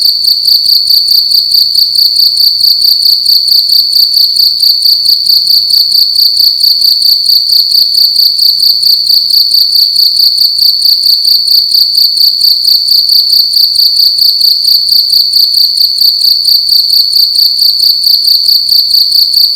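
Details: Indoors at night, one cricket sings loudly in a room; piercing high chirps pulse rapidly and evenly, around two per second, sustained without pause.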